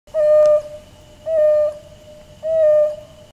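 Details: Wild dog. A wild dog calls with soft, owl-like hoos, each a level, clear tone held for about half a second. Three of them come at an even pace, roughly one per second, against a quiet background.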